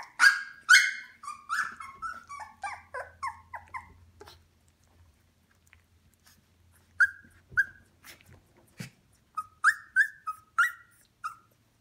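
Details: Eighteen-day-old Shikoku pup, just able to walk unsteadily: a rapid run of shrill, downward-sliding squeals and yelps, a dozen in four seconds, a pause with small bumps, then another series of high whimpers at the end.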